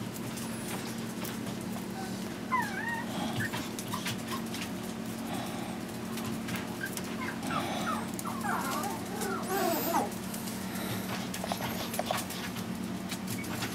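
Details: Three five-week-old Chihuahua puppies, Zeus, Amun-Ra and Simba, make repeated thin, wavering whimpers and squeaks. Human speech and handling noises sound alongside a constant low hum.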